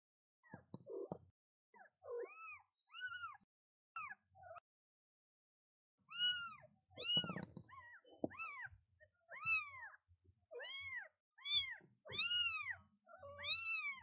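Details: A newborn kitten on its first day meows constantly to its mother: thin, high, arch-shaped mews repeated roughly every half second, mixed with a few lower, softer sounds from the mother cat.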